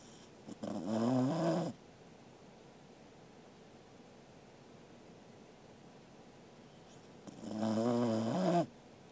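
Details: Angela, a Welsh Corgi, snores while asleep, recorded 13 August 2021: two drawn-out, harmonic snores about six seconds apart, each lasting roughly a second, with a wavering rasp. Quiet hush between breaths.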